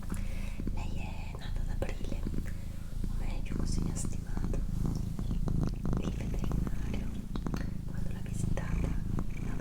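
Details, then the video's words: Female pet cat purring indoors during a relaxing recording: a steady, low rumbling purr runs throughout, overlaid by a person's soft whispering and small clicking and rustling noises. "ASMR Cat Purring & Whispering"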